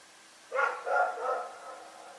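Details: Rex, a dog in Pyrga, barking at night: a loud bark and two slightly quieter barks in quick succession, fading into low background hum.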